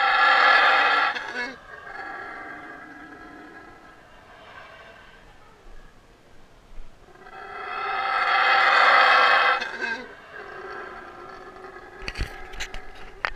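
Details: Yucatan black howler monkey held for rehabilitation, howling close up while being fed: two loud, hoarse, drawn-out roars about seven seconds apart, with low grunting between them and sharp clicks and knocks at the end.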